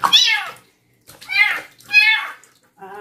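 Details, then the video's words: Young stray kitten taken in from construction workers, meowing during her first bath at night indoors: three loud, harmonic meows about half a second each, strained and insistent, followed by a softer lower cry; a person speaks nearby. "KITTEN'S FIRST BATH AT NIGHT"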